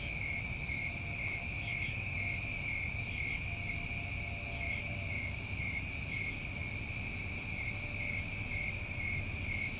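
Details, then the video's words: Crickets recorded in New England summer, many calling together as a continuous shrill drone of stacked high trills, with a soft low rumble beneath. "Tinnitus Masking With Crickets"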